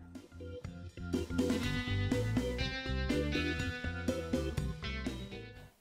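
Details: Upbeat music with plucked notes and drums and no animal voice.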